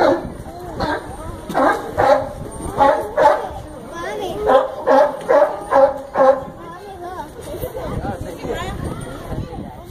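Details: A sea lion at the Brookfield Zoo in Chicago barks in a rapid series of hoarse, honking calls, about two each second.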